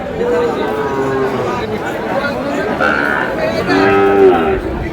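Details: Sahiwal breed bull calves at a sale involving a Comilla farmer, 27 March: two separate low, even moos, one near the start and a louder one toward the end, over a constant background of talking people.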